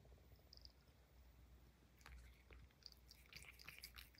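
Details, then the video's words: Quiet opening, then Puff the Highland Lynx cat starts munching banana peel: irregular wet clicks and crunches from about halfway on, growing busier at the close, over a faint low hum. "Highland Lynx Cat Loves to Eat Banana Peel"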